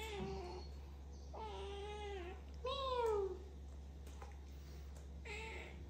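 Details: Domestic cat indoors giving several drawn-out harmonic meows, one louder and falling in pitch, spaced a second or so apart, over a steady low electrical hum with a person counting and talking nearby.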